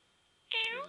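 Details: Pet cat at home, coaxed by a person into chattering and 'talking': one short tonal vocalization that starts high and bends downward into a rich, harmonic meow-like note lasting under half a second, with a quiet room behind.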